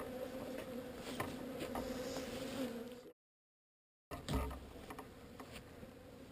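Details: Honey bees of a swarm moved from an undesired location, giving a steady, even droning hum that cuts off abruptly into a second of silence before resuming more faintly with a soft thump.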